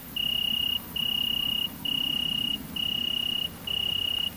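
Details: Tettigonia viridissima, the great green bush-cricket, during mating in rural central France, 22 August 2016. Five shrill, sustained buzzing bursts of under a second each, separated by short gaps, over low-pitched background noise.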